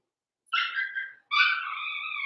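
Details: Cavalier King Charles Spaniel puppy, blenheim coloured, one of five littermates raised indoors in a pen. After a moment of quiet, a short falling whimper is followed by a longer, sustained, clear whine.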